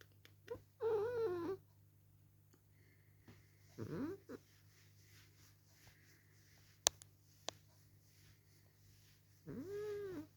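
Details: Male domestic cat protesting loudly while being held up and kissed: three drawn-out, wavering yowls near the start, middle and end, separated by quiet gaps with a few sharp clicks, then a short murmured human reply.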